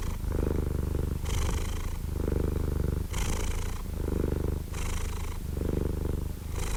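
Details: A cat purrs contentedly, recorded up close for relaxation and sleep: low buzzing rumble, slower breathing rhythm of roughly one cycle every one and a half seconds, soft breathy hiss on alternating phases.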